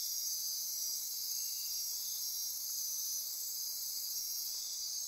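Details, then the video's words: Dense nocturnal insect chorus at midnight in Costa Rica rainforest near Corcovado National Park, Osa Peninsula; steady high-pitched buzzing and trilling bands held without pause, layered shimmering tones, no other clear sounds. "Costa Rica Rainforest - Midnight Insect Chorus"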